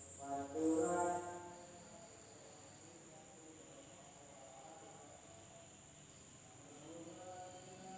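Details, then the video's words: Insects calling at night in a village in Indonesia: an unbroken, steady high-pitched drone holds throughout, with no pauses. Chanting voices rise briefly near the start, then fade into a quiet background. "the sound of insects at night in the village of Indonesia SUARA SERANGGA MALAM HARI"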